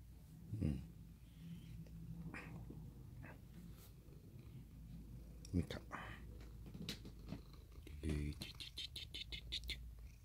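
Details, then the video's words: Mikan, a male orange tabby cat and former stray, purrs while hugging and licking when picked up indoors; a low, steady rumble runs throughout, broken by soft handling thumps, quiet voices and a burst of faint clicks near the end. "Hugs and licks like a dog"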